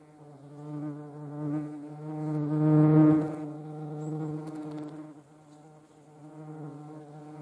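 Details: Low, steady humming drone of European hornets (Vespa crabro) in flight, swelling to a loud peak around three seconds as one passes close, then fading and rising again.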